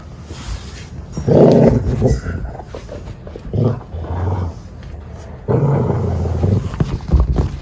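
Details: Treeing Walker Coonhound in hunting-type play, intensely engaged; three loud, harsh, low-pitched vocal outbursts, each lasting about a second, with quieter rumbling between them.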